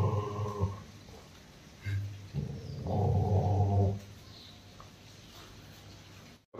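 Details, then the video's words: Angry Rottweiler Roxy attacking its owner, giving low throaty growls: a longer rumble at the start, then two or three shorter gruff bursts, before quieting to a near-silent room. "Anger of Rottweiler Roxy रॉक्सी ने अपने मालिक पर अटैक कर दिया"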